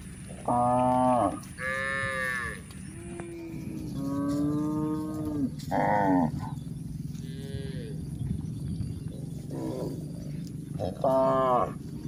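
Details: Herd of village cows grazing on green pasture: repeated moos of varying pitch, several short rich harmonic calls and a longer low drawn-out one, spaced a few seconds apart over grass-munching and rustling sounds.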